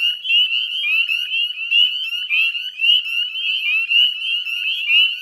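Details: Northern spring peepers in full chorus at dusk, West Chezzetcook salt marsh, Nova Scotia, Canada, 18 May 2020; sharp, high, rising peeps overlap thickly, pulsing slightly in loudness over an unbroken shrill background.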